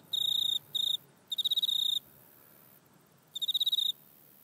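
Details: Grasshopper-type insect calling in a back yard, recorded on an iPhone: high, buzzy, rapidly ticking bursts, four trains of differing length separated by short pauses and one longer silence, with no other clear sounds.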